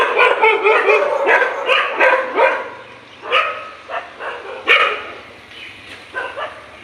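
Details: Morning fight between dogs: a dense flurry of loud, rough barks in the first half, then the barking thins into scattered single barks and short pairs with gaps between them.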